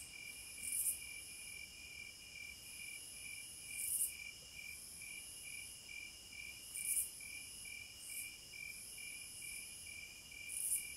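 Cicadas keep up a steady high-pitched drone, with louder shrill bursts swelling every few seconds.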